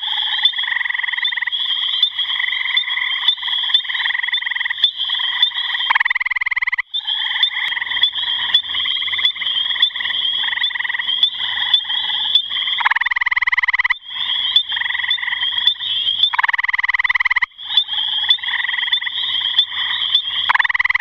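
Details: Gray tree frog calling steadily: a long series of musical pulsed trills, some louder and harsher bursts standing out every few seconds, with a sustained high-pitched ringing and faint low rumble beneath.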